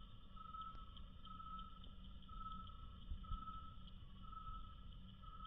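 Slowed to a quarter of normal speed, a cricket's chirps turn into a deep, ringing drone with a faint higher overtone. The tone swells regularly, roughly once a second, over a low background rumble.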